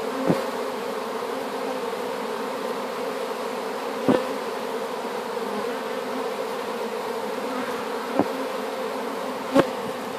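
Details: Honey bees just moved into a hive from a swarm caught in an apple tree, a continuous even hum of many bees, broken by four sharp clicks or knocks spaced a few seconds apart.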